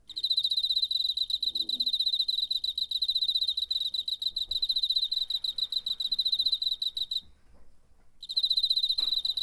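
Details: Chirps of a cricket recorded with a DR-05 in September 2019: long unbroken stream of quick, high, metallic pulses for about seven seconds, a one-second gap, then the pulsing returns.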